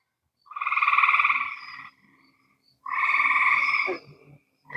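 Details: An evening frog chorus at a pond after a day of rain, with bullfrogs, American green frogs and tree frogs calling, possibly peepers too. Loud, rapidly pulsed musical trills, each over a second long, dominate the chorus.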